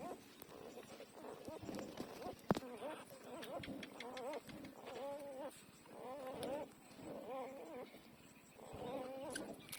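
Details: Newborn puppies, twelve days old, nursing: soft, wavering whimpers and squeaky whines in short harmonic bursts, rising and falling, repeated every second or so, mixed with faint clicks and a sharp tap.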